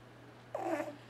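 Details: T-Jay, a pet cat asleep indoors, lets out one short rough vocal burst, harmonic and slightly wavering, in a quiet small room with a steady low hum behind it.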